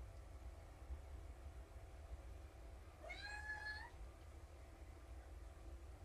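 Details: A single rising then level meow, under one second, from one of four kittens calling in the morning before breakfast; found abandoned as a litter, now at a shelter; steady low hum behind.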